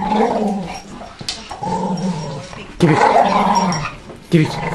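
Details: Staffordshire bull terrier, a male, play growling over a ball while a person's finger tries to take it; repeated deep rumbling growls in bursts, rising and falling, indoors.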